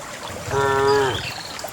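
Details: Cattle among dozens of cows being herded and running along a narrow path to the farm pen: one brief, steady, tonal moo of about half a second with rich harmonics, over low rustling and faint distant chirps.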